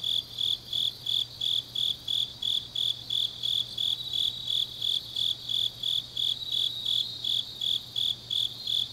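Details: Grass insects on a deep autumn night in Changnyeong, Gyeongnam, South Korea: a high, steady chirping pulsed about three times per second, with a fainter, buzzier trill layered just above it and a low hum underneath.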